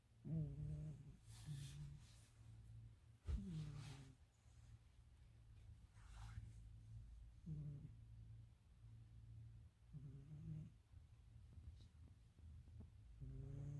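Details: Sleeping pet cat snoring loudly, said to sound like a person: low, rough breaths with raspy voiced bursts every three to four seconds over a steady low hum.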